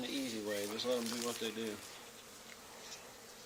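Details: Honey bee swarm settled on the wall of an old barn, two days after another hive was cut out there. A close bee drones past with a wavering harmonic buzz for nearly two seconds, then fades to a quieter background hum.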